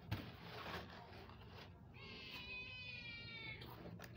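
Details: Mother cat calling her newborn kittens, born on the ground; one drawn-out, even, harmonic meow lasting over a second follows a stretch of rustling, against a low background hum.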